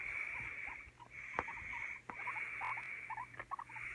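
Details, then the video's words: Household guinea pigs Oreo and Donut, Oreo afraid of the other following fights; a steady hissing rustle with brief squeaky chirps clustering toward the end and a couple of clicks. "CUTE GUIENA PIG ASMR"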